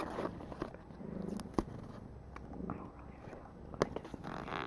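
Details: Pet kitten, a female, purring while petted and brushed indoors. A continuous low, throbbing purr carries through, with several sharp clicks and soft rustles over it.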